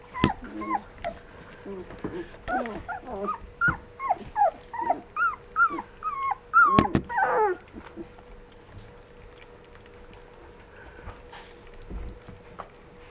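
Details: Rough Collie puppies at 14 days old cry in a rapid run of short rising-falling whimpers for about eight seconds, with a louder squeal near the end, then quiet with a steady background hum.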